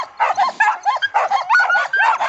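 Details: Several Samoyeds in a dryland carting team, excited before a long January run in freezing wind, give a continuous chorus of yipping barks, overlapping and rising and falling, with hardly a pause.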